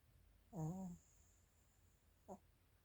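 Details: Chiroru, a Maltese-Shih Tzu cross female born 22 July 2017, recorded indoors on 24 December 2024, lets out a short nasal, droning snore lasting half a second, followed after a pause by a brief faint snort.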